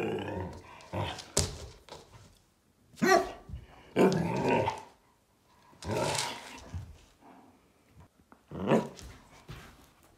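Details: Podenco dog from an animal welfare shelter, looking for a home, "talking": a series of irregular growly, grumbling vocal bursts of varying length, separated by short pauses.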